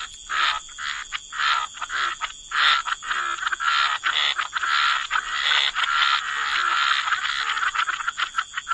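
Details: Chorus of croaking frogs in a waterside wetland, loud buzzy croaks about one per second merging into continuous overlapping calling, with a persistent high insect whine behind.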